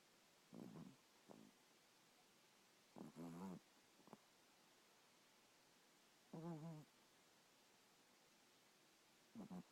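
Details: A dog named Kisses snoring lightly in sleep: soft low rumbling snores with a harmonic buzz, about four breaths in ten seconds, spaced roughly every three seconds, in a quiet room.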